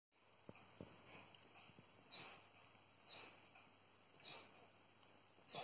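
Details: Salvo, a 14-week-old German Shepherd puppy, dreams in deep sleep after a day running around the peat bogs. Soft breathy puffs and snuffles come in uneven bursts, with a few faint high squeaks, over a steady quiet hum.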